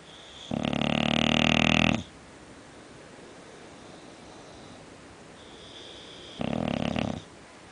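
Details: Snoring from Scofield the English Bulldog, heard indoors: one long, throaty, buzzing snore of about one and a half seconds, a quiet stretch with a faint wheezy tone, then a shorter rasping snore.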